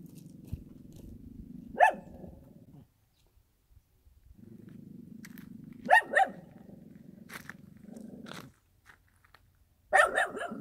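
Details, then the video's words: A dog in the countryside gives single sharp barks, spaced about four seconds apart, each followed by a steady low rumbling hum between the calls. "개 짖는 소리"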